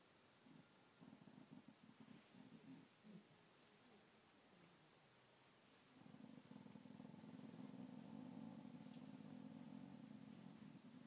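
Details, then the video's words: ['Gypsy the dog growling: short, low, throbbing bursts at first, then after a pause a steady, louder continuous rumble that holds to the end, indoors with little other noise.'] "gypsy growl"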